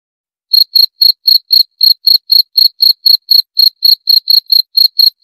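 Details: Cricket chirping: short, high, pure-toned pulses at a steady pace of about four per second after a brief silent start, with no other sounds.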